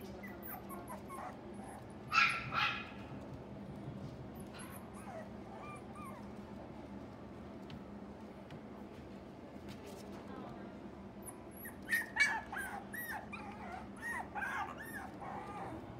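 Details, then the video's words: Female Shiba Inu puppy in a pet shop: two bursts of short, high yips and whines near the start and again after twelve seconds, over a constant low hum and faint background chatter. "柴 ♀"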